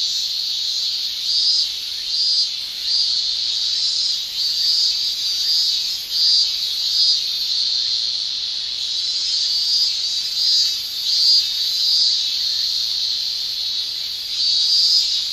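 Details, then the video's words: Male cicadas shrilling in a Japanese summer, a dense high whining drone that swells and fades in rhythmic pulses about every second, with no other clear sounds. "Japan Summer Cicada Shrilling"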